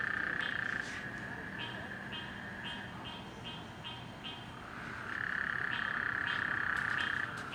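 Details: Frogs heard at night in a flooded neighborhood after rain: a loud buzzing trill opens and closes the stretch, with short repeated pulsed notes about every third of a second between.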